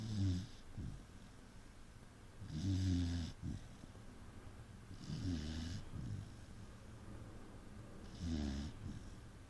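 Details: Saint Bernard dog snoring indoors: four low, rumbling inhalation snores, each about half a second long with a breathy hiss on top, spaced roughly every two and a half to three seconds, with quiet breathing between them.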